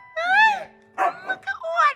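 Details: A house dog "talking" for attention gives a drawn-out, arching yodel-like whine that rises then falls, then shorter talky moans, with a person's voice mixed in.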